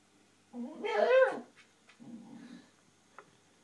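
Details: Koji the Shiba Inu vents frustration at not reaching his ball behind the TV stand: a wavering, harmonic whining cry lasting about a second, then a lower grumbling murmur in a small indoor room.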